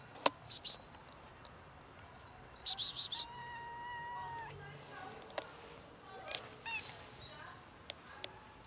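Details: Formerly near-feral, now socialized black and ginger-white cats begging for food: one drawn-out flat meow held for over a second, preceded by a quick cluster of high chirpy squeaks, amid sharp clicks and handling noises.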